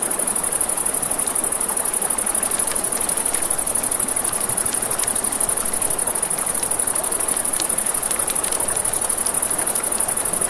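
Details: Nighttime riverside crickets keep up a steady shrill pulsing trill, while a campfire snaps and crackles with frequent short pops and the river rushes beneath.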